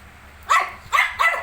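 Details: Shih Tzu kept with 19-day-old puppies gives three loud, bright barks in quick succession, the last two close together, in an otherwise quiet indoor room.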